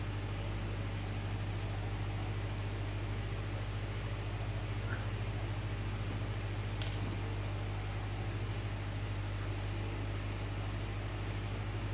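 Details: Constant low mechanical hum with a steady broadband fan-like hiss and an occasional faint click, with no frog call audible.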